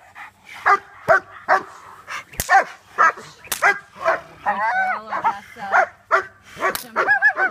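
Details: Young German Shepherds, Odessa and Nacho, in protection bite training as they move from sleeve to jacket: repeated sharp barks roughly twice a second, with whining, harmonic whimpers between them and occasional loud impact clicks.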